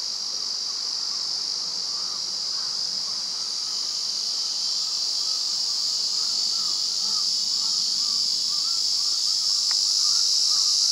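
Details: Male Terpnosia nigricosta cicada singing at the summit of Mount Rokkō, a steady unbroken high shrill buzz that swells gently louder toward the end, with faint lower chirping from other insects beneath it.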